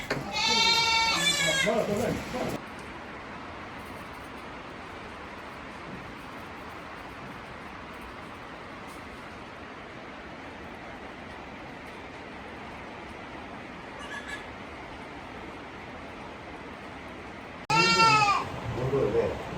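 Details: Young Tokara goat kids, 18 days old, with their mother at a farm in Himi, Japan, on 29 April 2022: strong, tremulous bleats open and close the recording, separated by long quiet stretches.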